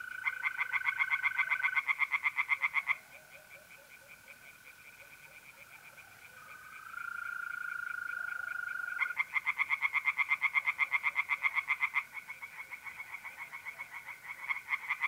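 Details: Singing tree frogs at night in a pond, north-east Italy, mid-April, loud rapid croaking in several-second bouts separated by quieter gaps filled by steady mole cricket trilling.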